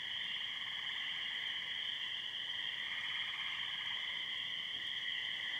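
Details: After heavy thunderstorms on a wet night, May 22, 2013, a pasture in Muskoka, Ontario fills with a dense nonstop chorus of tree frogs and spring peepers in high, shrill, overlapping peeps, an owl calling in the background.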